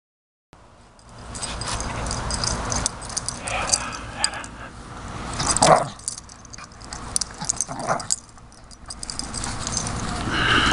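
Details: Jack Russell Terrier named Skippy at play with his agility toys during agility jumps; a few short, sharp whimpering bursts stand out near the middle over steady rustling and jangling handling noise, with a brief spoken word at the start.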